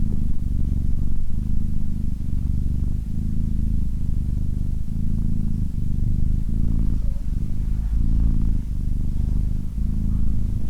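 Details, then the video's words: Cat purring in a soft, steady low-pitched rumble, each inhale and exhale marking even pulses roughly once a second, uninterrupted and calm. "Cat Purring"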